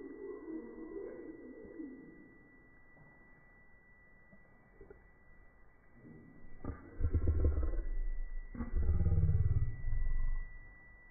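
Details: A sleeping horse snores: two long, rough, low-pitched breaths, the first near seven seconds and the second near nine, split by a brief pause, with only quiet hiss before and between them.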